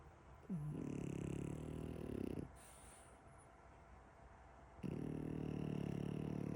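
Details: French Bulldog puppy snoring; two long rasping, rattling snore breaths, each about two seconds, separated by a quiet pause, with a faint background hiss.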